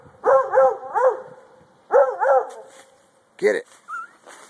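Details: Male Treeing Walker Coonhound treeing with its owner urging it on: two quick triplet and paired bark bursts, then a sharp single bark followed by a brief rising squeak and faint voices near the end.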